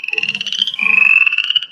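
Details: Upland chorus frog, a chorus frog found sporadically in West Virginia, calling in a rising trill like a thumb run along the teeth of a comb; two rasping trills, the second longer, with faint low background.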